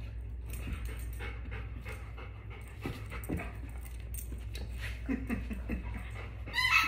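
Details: A puppy pants in quick, breathy bursts while hunting for its hidden favourite toy. Soft rustling runs throughout, and a brief high-pitched squeak comes at the very end.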